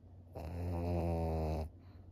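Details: Maria, a 13-year-old female fawn senior pug kept as a pet in Japan, July 2023, gives one long, deep snore lasting over a second: a low, droning rasp with rich layered overtones, swelling then cutting off, in a quiet room.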